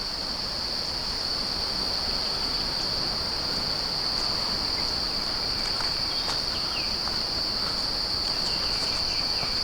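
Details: Bush crickets call in a steady, high-pitched buzzing trill at Windolph Landing Nature Preserve, Pennsylvania, near the Conestoga River, with footsteps crunching nearby.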